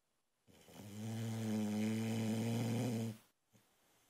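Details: Boxer puppy, a female, asleep and snoring loud enough to wake her owner; a single rough, humming snore swells and holds for over two seconds, then cuts off abruptly into near silence.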